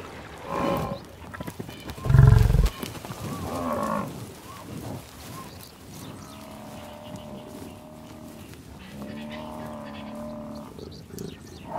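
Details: Buffalo in the wild on the savannah: a short low call, a loud dull thump, more brief grunts, then two long steady harmonic bellows, the second lower and rougher, over soft background noise.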